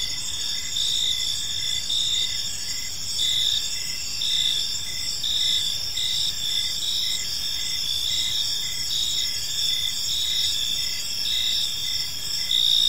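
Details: Crickets heard in a quiet park as evening falls, continuous shrill pulsing trills from several insects at different pitches, steady and unbroken, with a light rumble of background noise.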